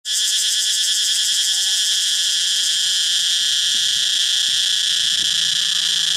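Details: A male cicada in a Thai jungle gives a loud, unbroken, shrill buzz that holds steady throughout, a song produced to attract females.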